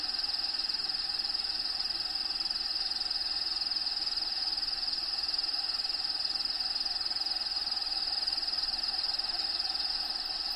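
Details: Steady shrill cricket trilling from within a bearded dragon's vivarium, one unbroken high-pitched band with rapid even pulses, roughly four per second, continuing unchanged the whole time against low hiss.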